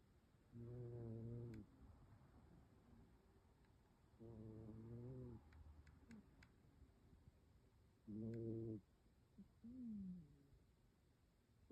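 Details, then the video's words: Sleeping domestic cat curled in a lap, snoring heavily. Three drawn-out, rough, low snores about four seconds apart, separated by quieter wheezy, rising breaths. "My cat was snoring hard while he slept in my lap"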